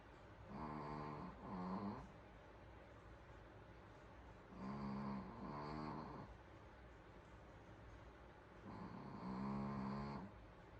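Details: A Pomeranian asleep and snoring peacefully indoors; paired rasping snore bursts, each about a second long, repeat roughly every four seconds against near silence.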